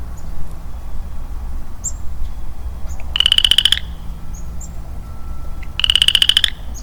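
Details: Lonely male Western Chorus Frog in early spring woodland, giving two rising, rasping trills of rapid pulses, each lasting under a second, about two and a half seconds apart, with faint bird chirps and low background rumble.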